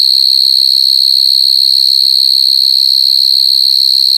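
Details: Continuous shrill buzzing trill from coconut crickets, unbroken and level in pitch, its fast pulses steady throughout, over faint low rumbles.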